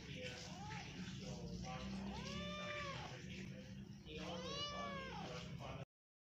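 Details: Domestic cat giving three drawn-out meows, each rising and then falling in pitch, spaced about two seconds apart, over a steady low hum.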